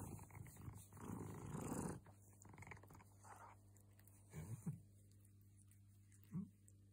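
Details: A pet cat described as the happiest ever, purring in a low vibrating drone for about two seconds, then quieter, with a few short soft bursts of sound near the end.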